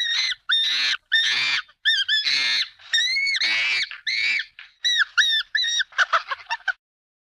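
A chimpanzee gives a string of shrill, harmonic screams, ending in quicker, clipped chirps.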